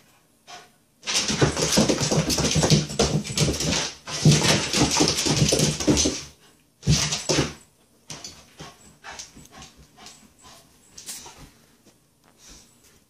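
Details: A Shiba Inu chasing its own tail gives long, rough, noisy growling bursts, then fainter choppy whines and yips.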